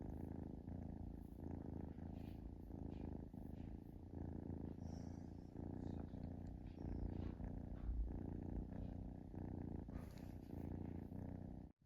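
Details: Close, steady purring from a relaxing kitten, deep rhythmic rumble rising and falling with each breath, roughly one cycle per second, in a quiet indoor setting.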